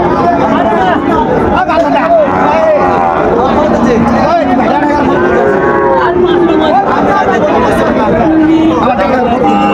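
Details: At Raniganj cattle market, Sahiwal bull calves low repeatedly: drawn-out, bending moos overlapping one another amid busy crowd chatter and men calling out prices.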